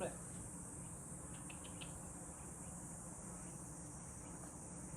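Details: Rural house setting with cicadas droning: an unbroken, sharp, high hiss runs evenly from start to finish over a low background rumble, with a few faint clicks early on.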